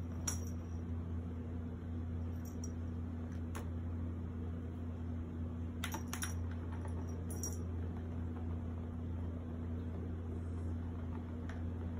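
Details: Steady low indoor hum with a few faint clicks and jangling taps, like keys or small objects, and no animal voice.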